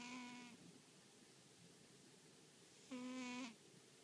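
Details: Napping American Shorthair cat snoring loudly during an afternoon nap at home; two steady, whistle-like humming tones, each about half a second long, come roughly three seconds apart, with quiet breathing between.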